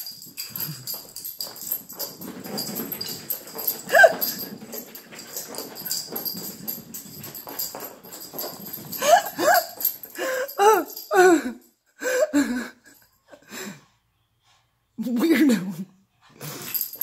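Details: After a bath, a frantic Jug dog scrambles and rustles, then lets out a run of short, strained whines and yelps, followed by silent gaps and one more brief nasal grumble.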